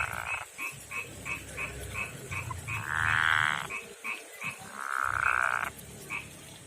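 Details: Male frog with rough skin, from a backyard pond and river habitat, calling to a female: a rapid series of short, bright croaks several per second, broken by two longer, louder drawn-out calls.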